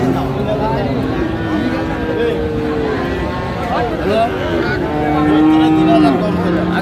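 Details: Friesian and crossbred heifer calves at Raniganj cattle market, Dinajpur, on 29 January 2025, several mooing in overlapping, drawn-out low lowing calls over a steady murmur of market voices and crowd noise.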